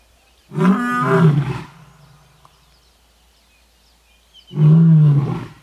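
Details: A lion at Marataba in South Africa's Waterberg, a reserve of plains and valleys, gives two deep, rumbling roars, each about a second long, separated by a pause.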